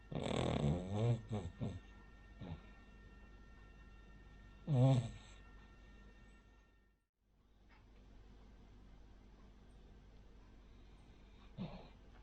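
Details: Rin, a pet Cavalier King Charles Spaniel, a flat-nosed breed, snores while sleeping indoors: two loud rasping snores, the second near five seconds, then quiet breathing with a faint snort near the end.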